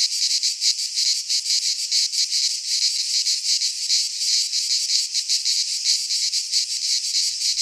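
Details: Midsummer chorus of cicadas in a Greek pine forest, a loud steady shrill buzz made of quick rhythmic pulses, several per second, filling the whole recording without other voices.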